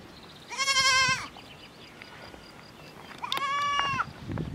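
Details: Miniature goat kid on a French farm calling its mother in the herd: two loud, nasal, wavering bleats, the second higher and quavering, separated by a couple of seconds of quiet outdoor background.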